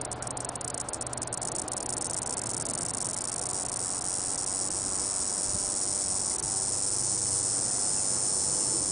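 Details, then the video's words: An Olympus cicada (Diceroprocta olympusa) gives its starting call: a few sharp ticks give way to a steady, high, hissing buzz. "Diceroprocta olympusa cicada starting call by Joe Green"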